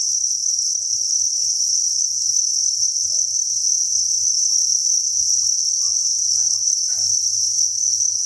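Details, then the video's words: Massed crickets at a breeding farm produce an even, high-pitched shimmering drone, steady from start to finish, with a few faint taps and a low background hum. "Cricket Chirping Sound"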